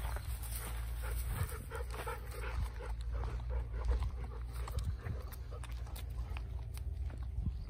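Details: Golden Retriever outdoors in Kirihata, watching over the hand-pollination of passion fruit flowers. Quick, breathy panting comes in steady rhythmic bursts, several each second, over a constant low rural hum.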